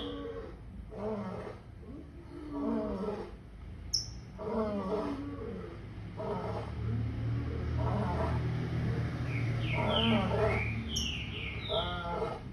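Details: A lion gives a rapid run of short, rough roaring grunts in regular pulses over a steady low rumble, with a few bird chirps toward the end.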